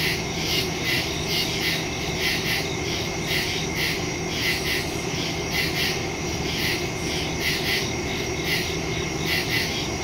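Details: Crickets in the woods at night, recorded September 2, 2023 on a phone with a stereo microphone; steady overlapping pulsed chirps, several per second, form a dense high chorus over a constant low hum.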